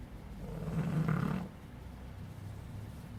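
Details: Sleeping puppy Fonso lets out one low, rumbling snore lasting about a second, then breathes quietly with a faint steady hum in the room.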